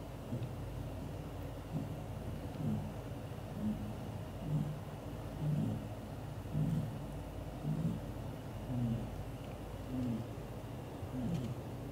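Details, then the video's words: Sleeping British Shorthair tomcat Leo, curled up with the mother cat and kittens, gives loud snores: deep, rough rumbles repeating roughly every second against constant low background noise. "Daddy cat gently takes care mom cat and their kittens, hugs all to sleep and snoring loudly"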